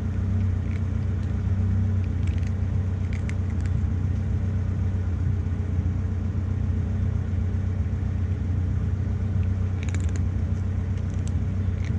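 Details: A steady low vehicle rumble fills the recording, with a few faint clicks and no animal voice.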